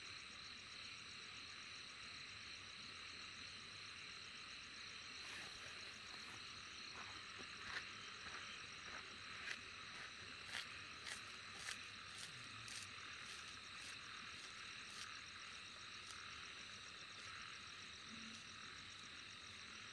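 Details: Insects shrilling in a steady high chorus with fast pulsed trills, joined midway by a run of sharp, irregular clicks or taps, about one a second, before the chorus settles back to a smooth drone.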